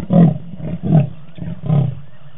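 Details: Sawing by the leopard Tingana, seen with Thandi at the Djuma camera on 20 November 2018: three hoarse, low rasps at irregular spacing, the last after a short pause, rough and breathy over a quiet background.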